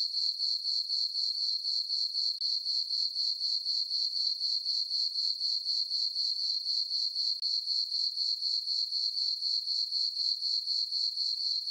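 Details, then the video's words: Crickets chirping on a peaceful summer night in a farm meadow under a full moon: a steady high-pitched pulsing, about four chirps a second, continuous and even, with no other sounds. "Cricket chirping sounds for sleeping"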